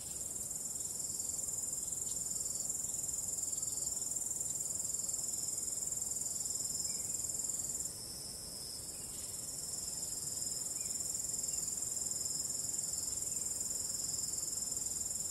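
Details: Starry-night crickets with calm wind: a continuous shrill chorus of fast regular pulses, roughly three per second, dipping briefly in loudness near the midpoint before returning to a steady high ringing trill.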